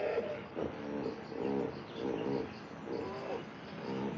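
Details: Hippopotamus calling in a rhythmic series of short, throaty, harmonic honking pulses, repeated about twice a second over a low background hiss.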